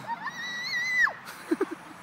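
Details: Dog playing catch with a flying squirrel gives one high whine that rises, holds level for about a second, then drops sharply, followed by three short low sounds.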